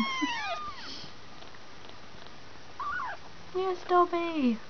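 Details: Two-week-old kitten, one of a litter of five, giving thin high mews that arch up then slide down, several in quick succession at the start and again near the end, with background music and a person's voice.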